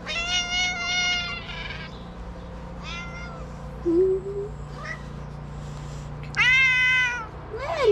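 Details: Kitten from a small shelter for abandoned cats in Morocco, playful and slapping at a hand; loud drawn-out harmonic meows, a short mid-clip call, then a longer rising meow with background room hum.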